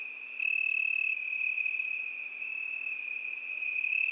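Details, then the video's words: Crickets chirring through a summer night, an unbroken, piercing high trill that grows louder after a soft opening and stays even, with no birds or voices. "ЗВУКИ ЛЕТНЕЙ НОЧИ. ПОЮТ СВЕРЧКИ."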